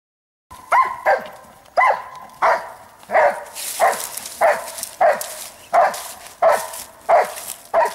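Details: Giant Schnauzer Blackmoore Bayuma, recorded in November 2014, barking in a steady run of about ten loud, sharp barks spaced under a second apart, each bark punchy with a brief ringing tail, no other sounds intruding.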